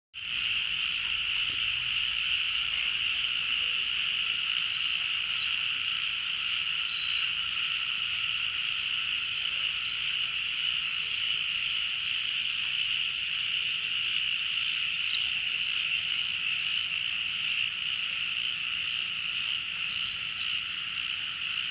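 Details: Crickets calling late at night in Srimangal, Bangladesh: a steady, unbroken high-pitched shrill chorus with a thin constant whine above it, holding an even level for the whole stretch with no other clear sounds.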